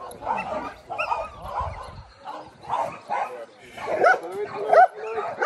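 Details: Belgian Malinois during decoy training: continuous excited barking and whining, rough bursts roughly every second, mixed with yips and mingled with human voices.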